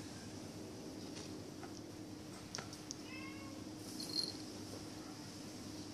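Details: Young Bengal cats at play-fighting in a Kuching, Sarawak pet shop on Malaysian Borneo: scattered soft taps and scuffles, a short wavering mew midway, then a brief breathy burst, with constant low indoor hum beneath.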